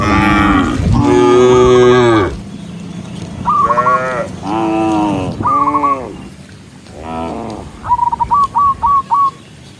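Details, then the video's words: ['Herd of tame cows walking home along a countryside path as the sun sets, mooing to call the others back; a loud drawn-out moo, then four shorter moos and a quick run of stuttering higher pulses.'] "with the sound of cows, cow Sound"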